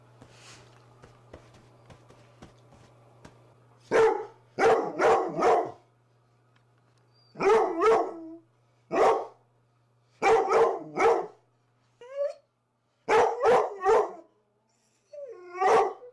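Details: Two Rhodesian Ridgebacks playing rough indoors in the morning give loud, harsh barks in quick bursts of two to four, separated by quiet pauses, with a steady low hum underneath.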